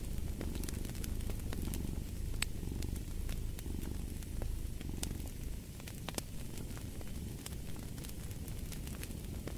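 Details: Low, even purr from a cat, throbbing in loose breath-paced swells, overlaid with scattered sharp crackles and hisses of a fireplace fire.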